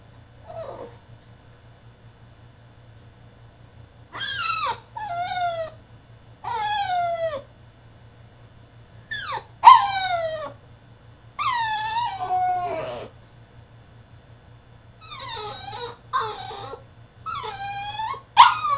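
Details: French Bulldog throwing a tantrum in his cage: high, harmonic whines and yelps that slide downward, in bursts of one to two seconds with quiet gaps, a steady low hum beneath.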